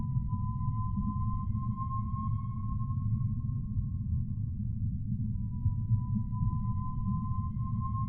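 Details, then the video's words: Humpback whale song: a long, steady, slightly rising moan held for about five seconds, followed after a short gap by a second similar tone, over a constant deep underwater rumble. "Sounds of Whales"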